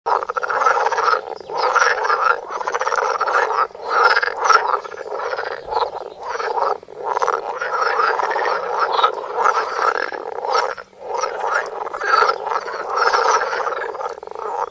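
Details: Several frogs croaking in extreme close-up, recorded on a Samsung Galaxy Note: a dense, continuous rasping chorus of overlapping croaks pulsing in short bursts, with barely a break through the whole stretch.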